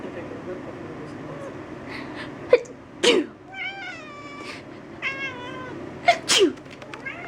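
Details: Two-year-old female calico cat, upset at someone's repeated sneezes, answers with drawn-out wavering howls between loud sneezes and a woman's voice, several long yowls clustered around the middle.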